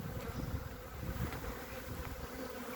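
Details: Honey bees in a small colony covering three frames, recorded on 14 February 2021 during a winter hive inspection. A low, steady hive buzz sits under frequent rumbling thumps from handling and the microphone.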